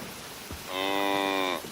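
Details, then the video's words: Single steady cow moo just under a second long, strongly harmonic and level in pitch, after a brief quiet lead-in. "Cow Mooing Sounds"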